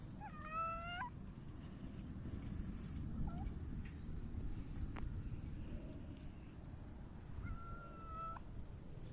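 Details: Silver tabby cat rubbing against someone, recorded 12 August 2024, gives a short harmonic meow near the start, a faint brief mew, then a longer level meow near the end, over a steady low rumbling background.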